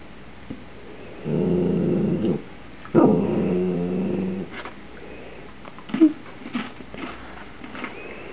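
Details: Rusty, a pet Dachshund indoors, growling while begging for a potato chip from a bag: two sustained low rumbling growls of about a second each, followed by softer short grunts and whines.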